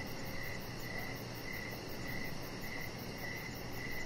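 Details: Evening cricket chorus beside a deck where a chihuahua puppy lies; evenly spaced high-pitched chirps pulse roughly every half second above a continuous low hiss and rumble.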